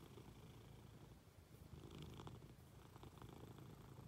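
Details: Munchkin cat climbing onto its owner in bed and purring; fast fine-grained low rumble, quiet, growing a little stronger midway, with soft rustles.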